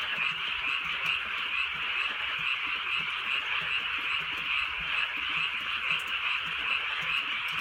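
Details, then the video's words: Frogs calling on a drizzly rural night in the countryside, a dense, continuous chorus of many overlapping croaking voices forming a steady high buzzing wall of sound, with faint rain ticks beneath. "개구리 소리"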